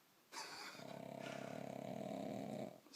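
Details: Sleeping pug Bonya gives a drawn-out harsh snore lasting over two seconds, a rough vibrating rattle with rapid even pulsing, said to sound like a man snoring; a short breathy noise follows.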